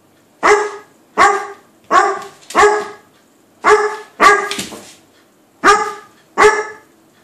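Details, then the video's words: Trying to get a cat beyond a door to play, a Weimaraner lets out eight loud, ringing barks, mostly single with a few close pairs, separated by brief silences. "Weimaraner trying to play with cat"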